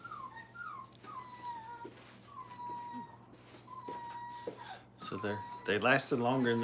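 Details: Crate-trained Brittany puppies aged five weeks produce long, drawn-out level whines, one after another, ending in a burst of loud, rough yelping cries.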